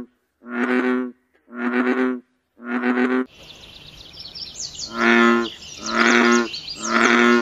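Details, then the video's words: Frogs croaking at night in their natural habitat: loud, harmonic, nasal croaks about half a second long, three evenly spaced, then a hiss of insect-like buzzing under three more croaks. "Frog Sounds, Natural Frogs Singing in the World"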